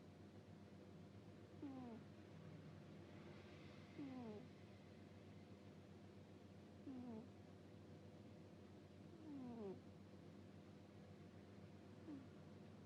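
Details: Sleeping house cat giving a run of "puu puu" snores: five short, low, whistled notes, each sliding downward, spaced two to three seconds apart, over a constant low indoor hum.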